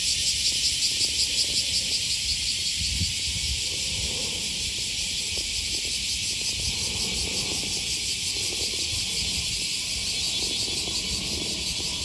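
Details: Cicada chorus on a morning walk by the Okawa River, Osaka, Japan, first Thursday of August 2020: a steady, shrill sizzling wall of sound, briefly pulsed at the start, with faint city rumble and steps beneath.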